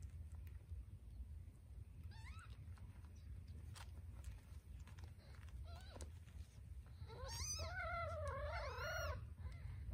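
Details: While nursing, Scottish Fold kittens compete for a nipple, a tortie kitten standing her ground; a faint mew early, then a rapid run of wavering, rising-and-falling cries near the end over a low hum.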